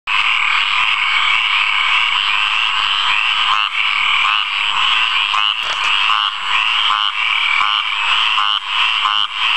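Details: A frog calls from a water puddle amid a dense, steady chorus of high trills and croaks.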